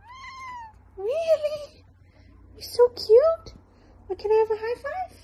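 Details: Domestic cat giving several drawn-out meows with rising and falling pitch, interleaved with brief human voice sounds, indoors.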